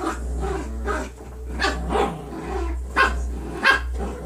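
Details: Playing foster puppies, nine weeks old, trade soft growls and a couple of high squeaky yips near the end, with a low droning hum throughout.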